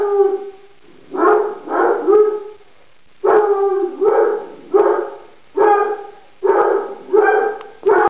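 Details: Bella, a pet Black and Tan Coonhound who acts as though her Miniature Pinscher companion were a raccoon, bays in a rhythmic series of about ten harmonic howling notes, grouped in twos and threes with short pauses between groups.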